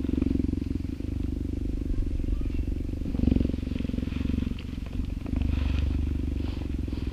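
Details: Dew, a female cheetah about three years old born at Cheetah Experience, purring while petted by a volunteer during enrichment time in an open yard on a summer day after rain; a steady low pulsing rumble runs throughout, with brief speech.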